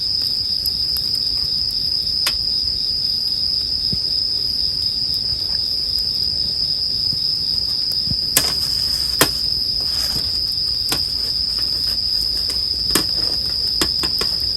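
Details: Bell crickets singing as a steady, high, ringing drone that never breaks, while a campfire crackles and pops with sharp snaps throughout, in a sleep soundscape.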